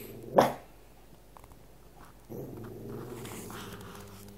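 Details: One sharp bark from a Cavalier King Charles Spaniel after its owner's food, then quiet, then a low rumbling growl held for two seconds.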